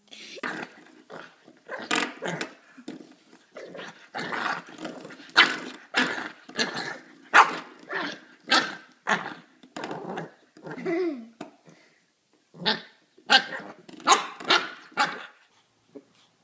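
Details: Dog barking loudly in bursts, mixing short sharp barks with rough growls and a drawn-out howling whine midway, spaced unevenly over several seconds, with a person's voice nearby.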